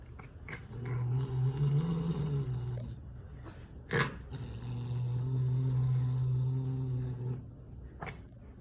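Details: A cat growls while eating, guarding its food from its daughter indoors: two long, low, steady growls, the first about two seconds and the second about three, separated by a sharp click, with faint chewing sounds.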